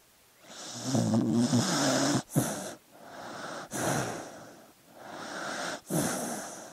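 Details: Sleeping dog breathing noisily, a run of about five wheezy, snoring breaths roughly every second, the first carrying a low buzzing rattle, the rest airy and hissing.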